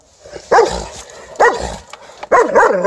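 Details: White Swiss Shepherd barking at an Alaskan Malamute it has not yet seen; three loud, rough barks about a second apart, each with a brief falling tone, over a quiet background.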